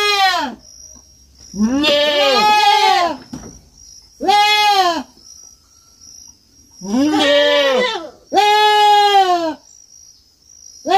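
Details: Farm kid goat giving five loud, drawn-out bleats, some doubled or overlapping, trembling and slightly falling in pitch, spaced a few seconds apart with near silence and a faint high steady tone between them.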